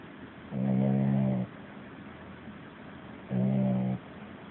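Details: A puppy sleeping and dreaming, snoring louder than a grown man: two long, loud, low buzzy snores about three seconds apart, each lasting under a second.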